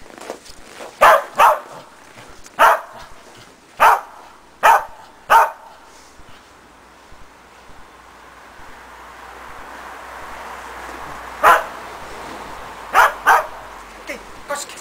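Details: Barking from Preston, a Shetland Sheepdog, in agility box training with a jump grid, a foundation for running contacts. About six short barks come in a burst, then a long quiet stretch, then three more. Soft background hiss.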